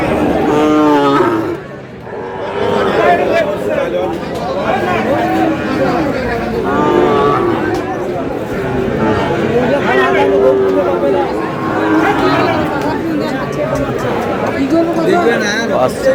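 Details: Sahiwal cattle, including bull calves, at a cattle market in Kurigram, Bangladesh, on 8 April: several drawn-out, low harmonic moos rise and fall through steady crowd chatter and nearby talking voices.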